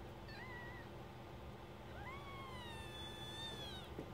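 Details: Newborn kittens, a first litter of four, two red striped and two black striped, born at 22.30 on 27 September 2015 and tended by their mother; faint thin rising then falling mews, two short calls over steady background hiss.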